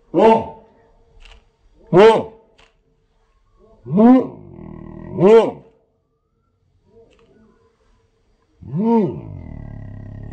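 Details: During his balloon tantrum, German Shepherd Odin gives a run of deep, drawn-out barks, two of them close together. After a pause, one long, falling, howl-like bark ends the clip.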